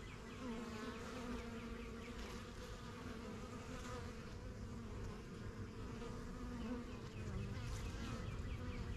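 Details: Honey bees from a strong, newly started backyard hive, kept since spring 2023, fly in and out while settling in. They make a steady, dense low drone with a humming tone, and faint chirps of birds sound above it.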